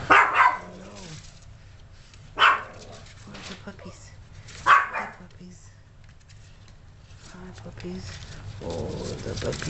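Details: Yorkshire Terrier indoors with a litter of 32-day-old puppies; three sharp, high yapping barks spaced about two seconds apart, with a woman talking softly between them and a low household hum.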